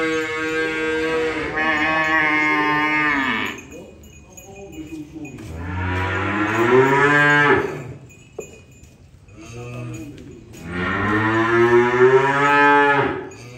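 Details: Three long moos from cattle during unloading, each about three seconds and separated by short quiet gaps, the harmonics bending upward mid-call, with a sharp knock between the second and third.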